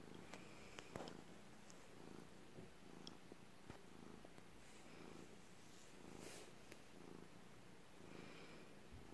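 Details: Cat purring indoors, a low steady rumble with soft pulsing, broken by scattered small clicks and brief rustles.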